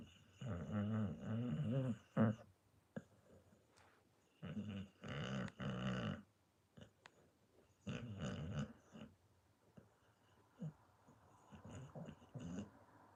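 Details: Pit Bull snoring indoors: low, rattling breaths in bursts of one to two seconds, separated by quiet pauses, with a few softer snorts toward the end.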